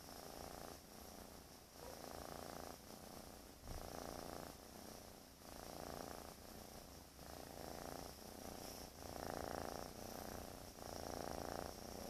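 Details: Sleeping domestic cat snoring: soft, rhythmic breathy rasps, each drawn-out breath lasting about a second with brief pauses between, steady and close in a quiet setting.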